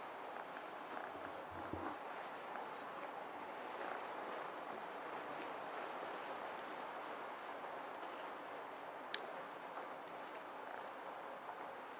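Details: A stormy typhoon night brings a dense, steady roar of wind and rain, broken by a few faint knocks and one sharp click; no animal voice is heard.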